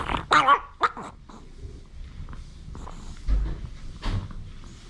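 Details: While eating a snack, Jamong, a male Maltese from Gwangju, must not be touched. He gives two throaty, growly barks close together, then a low grumble and quieter snuffling in a small room.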